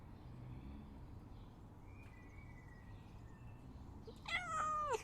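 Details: Domestic cat meowing to be let out: after a long quiet stretch of low indoor hum, one drawn-out, steady, tonal meow near the end that drops slightly in pitch before it stops.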